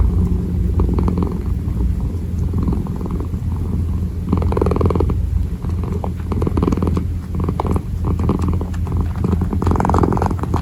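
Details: Kitten kneading while purring, a steady low rumbling purr running continuously through the whole recording with rhythmic pulsing, punctuated by soft rustling bursts from the kneading paws; quiet indoor setting.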